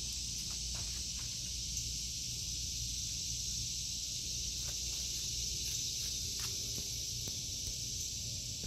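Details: Cicadas singing in a vegetable garden in August 2023: a steady, unbroken high buzzing drone that fills the air throughout, with soft footsteps and rustling below.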